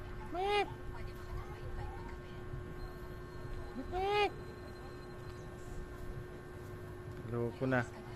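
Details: Goats kept as companions at work, near a mother goat: three separate bleats spread several seconds apart, the first two short and arched, the last a rougher, pulsed bleat, with a steady background hum throughout.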